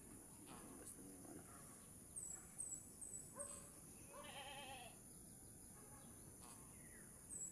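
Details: Doe goat struggling to deliver her kid while being helped; a few quavering, harmonic bleats, the strongest and longest in the middle, with faint high chirps early on and a steady hiss throughout.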